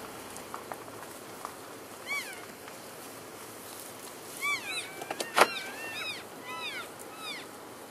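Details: Elk herd on February 3, 2012, keeping in touch while moving between grazing areas: short arched high chirps come singly, then in a run of several overlapping calls, with a sharp knock midway over a quiet outdoor background.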